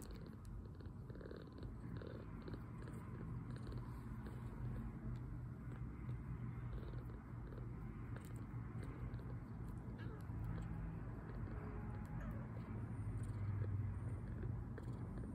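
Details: Milk-drunk two-week-old male foster kitten relaxing after feeding while recovering from poor health, giving a continuous deep purr with rapid regular pulses, slightly louder toward the end, over quiet indoor background.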